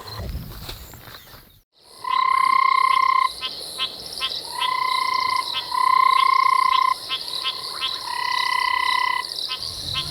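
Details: Many banded rubber frogs calling in summer after big rains on a South African reserve, an enormous chorus of long, even, ringing trills, one overlapping the next.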